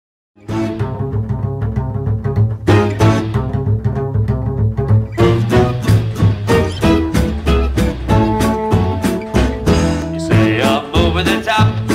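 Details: Lively swing-style music with plucked double bass and strings, and no animal voice.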